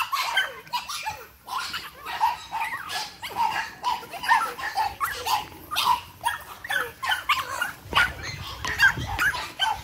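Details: Energetic 8-week-old Boston Terrier litter playing together: a steady stream of sharp, high-pitched yaps and squeaky barks, several pups overlapping, with clattering and scrabbling noises throughout.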